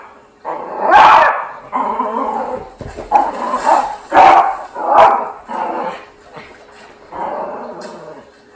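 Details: Yorkie going crazy at an elephant on television, giving a run of sharp barks mixed with yips and whimpering whines, loud and uneven over several seconds.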